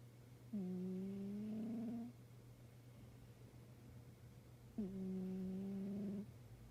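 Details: Soft snores from a sleeping black-and-white tuxedo house cat, heard as two low, gently rising tonal breaths lasting over a second each, about four seconds apart, with a constant faint hum behind them.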